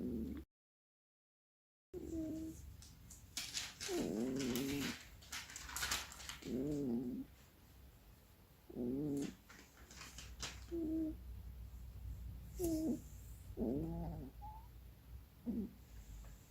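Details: Asleep and seemingly dreaming, the female cat Keksi gives a run of warbling, quavering little moans, some drawn out and others clipped, with soft rustling and brief noisy bursts between them in a quiet room.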